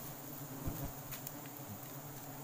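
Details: Wild forest honey bees during a sustainable honey harvest: a low, steady droning hum with faint harmonic bands, fairly quiet, plus a few soft knocks and rustles.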